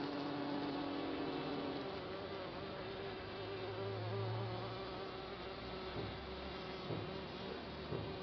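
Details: Many bees of a colony settled in a compost bin for several months, heard up close as a thick, unbroken droning buzz, with a brief lower hum rising briefly midway through.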